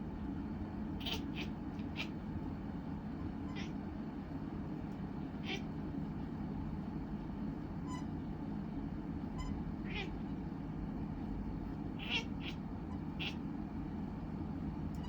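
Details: Short squeaky meows from a Scottish Fold cat, scattered singly and in quick clusters across fifteen seconds, high and brief, set against a steady low droning hum.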